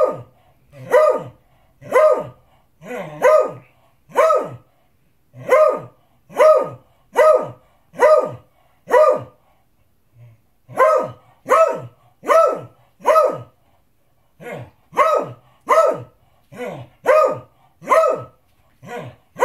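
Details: A beagle barks loudly and persistently, sharp single barks repeated about once a second, demanding his dinner.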